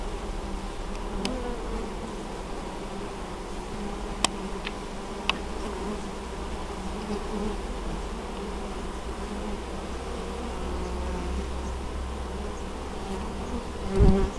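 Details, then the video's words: Many honey bees working honeydew at an apiary in Moszczanka, Opole Voivodeship, Poland, on 19 August 2013; an unbroken low buzzing drone with occasional ticks, ending as a single bee zooms loudly past. "Pszczoły noszą spadź"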